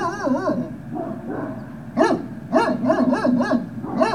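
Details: Great Dane puppies at Puppy Hill on 18 November 2018, early afternoon, give a wavering high whine, then a burst of short, sharp yips and barks in quick succession, several overlapping, with a low steady hum behind.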